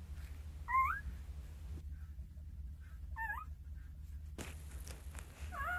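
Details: Two-day-old Jindo pup among a litter of nine beside mother Sarang; brief isolated squeaks with a wavy bend, spaced a couple of seconds apart, over quiet background hiss.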